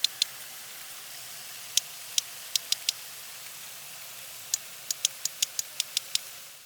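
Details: Two sperm whales make codas, short patterned bursts of sharp clicks, interweaving them so one whale's coda overlaps and mixes with the other's.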